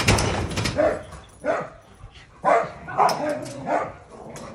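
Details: Dog barking in short, sharp bursts, about five barks over four seconds, with a voice and a door-like knock near the start.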